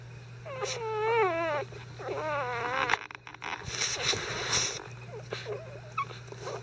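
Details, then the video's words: Icelandic Sheepdog puppies only five days old, stirred up during a bedding change, let out wavering, wailing cries in the first three seconds, then softer scattered squeaks amid rustling and handling noises over a constant low hum. "5 Day Old Icelandic Sheepdog puppies"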